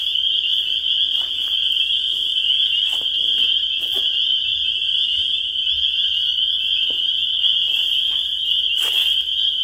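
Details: A continuous chorus of spring peepers: a bright, high, ringing tone holding steady throughout, with several short clicks and thumps and a faint low hum underneath.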